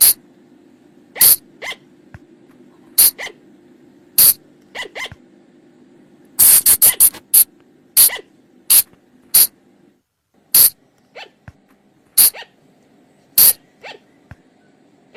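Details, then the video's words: Flying lemur calls from Thailand, a recording used to lure the animals at night: sharp, short shrill bursts in irregular runs, some doubled or clustered, with a quick rapid volley near the middle and quiet pauses between. "เสียงต่อบ่างป่า หรือพุงจง,พะจง flying lemur sound"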